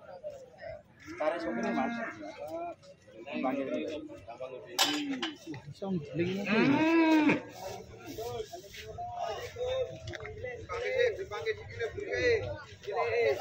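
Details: An angry, agitated cow with its little calf gives a loud, drawn-out, rising then falling moo. Shorter lowing calls and voices of people talking come before and after it.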